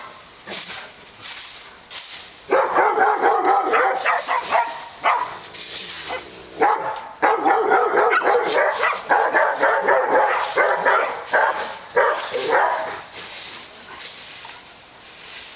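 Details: Several dogs at Park Drive barking in a dense, continuous volley: rapid overlapping barks, about four a second, after a quieter first two seconds, then tapering off near the end.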